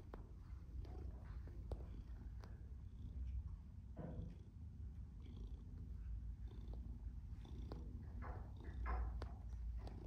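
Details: Black and white male domestic shorthair named Tom purring contentedly while kneading; a continuous low rumbling purr with pulsing breaths, plus occasional clicks and a faint voice in the background.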